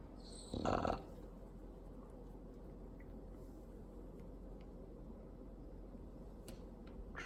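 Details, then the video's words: A Bulldog gives one short, harsh snore near the start. Low, steady room hum and faint clicks follow for the rest of the stretch. "LOUDEST Snoring Bulldog"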